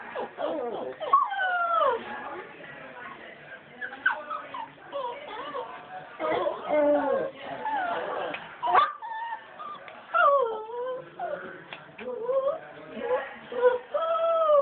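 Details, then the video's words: Puppies whining indoors: many high, wavering whines that slide up and down, overlapping and coming in close bursts throughout, some falling sharply and others curling upward, with brief louder yelps mixed in. "Whining puppies"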